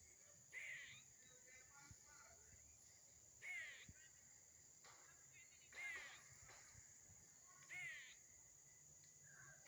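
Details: Squirrel. A squirrel repeats a hoarse, grating call, four short rasping bursts spread over several seconds. A steady high hiss, like insects, runs underneath throughout.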